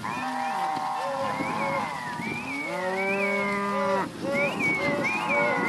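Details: A big lot of Angus-type cows and Red Angus heifers bellowing together. Low steady moos lie under higher, wavering, rising calls that repeat irregularly through the recording, with a brief dip near the end.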